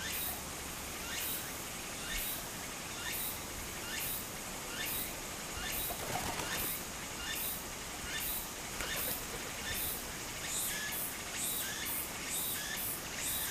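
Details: Summer cicada chorus by a flowing stream in Japan, heard as rapid bright rasping bursts repeating roughly every second and crowding together toward the end, layered over a constant wash of running water.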